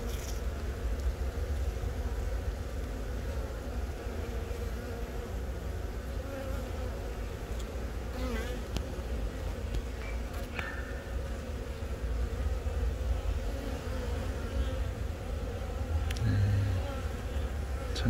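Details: Honey bees in a hive at Yongin Baekam, Korea, April 20, where a queen born from the first natural swarm of the year moves about laying eggs. Continuous deep, even buzzing drone throughout, with faint clicks and rustles.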